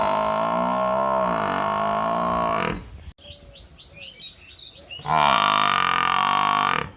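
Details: Village buffalo giving two long, loud harmonic bellows, one at the start and one at the end, with faint bird chirps heard in the quieter gap between them.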